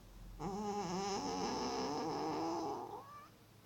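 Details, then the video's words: Sleeping cat wearing an Elizabethan collar snoring really loud; one long, tonal, wavering droning breath lasting about two and a half seconds, ending in a brief upward squeak. "Cute cat snoring really loud!"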